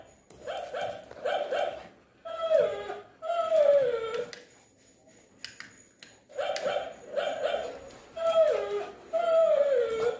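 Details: Shih Tzu fighting with a toy dog: bursts of rapid yappy barks in pairs, mixed with longer falling whine-like cries, with a brief quiet pause midway.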